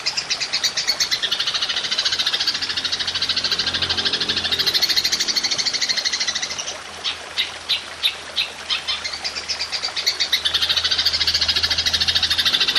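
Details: Golden grasshopper, recorded as a masteran track for training songbirds, with long shooting bursts: a dense, continuous high buzzing trill that breaks into separate sharp pulses midway, then returns to a steady ringing buzz.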